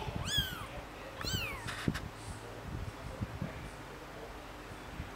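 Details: Three-day-old kittens being cared for, giving two high, thin mews in quick succession, each sharply arched then falling, followed by faint clicks and soft handling noises in a quiet room.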